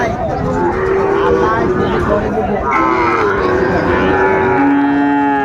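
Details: Cattle lowing at Ambari market in Dinajpur, 27 May 2024, amid trade in Sahiwal breed bull calves; repeated sustained moos of varying pitch overlap one another, with buyers and sellers talking throughout.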